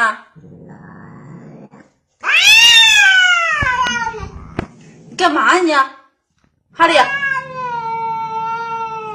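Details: Kitten giving loud, arching meows that rise sharply then slide down, followed after a pause by a long, level meow, with some low background voices and clicks.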